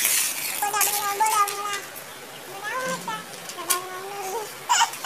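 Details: Kittens meowing indoors, several drawn-out, tonal mews that hold steady and then bend slightly. Three main calls are spaced about a second apart, with a brief higher squeak near the end.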